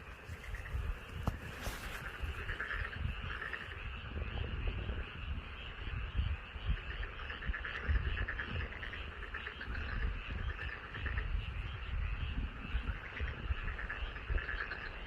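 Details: Frogs calling from a rice paddy in front of a house: a dense, continuous chorus of overlapping rapid croaks, steady throughout, over heavy low rumbling background noise.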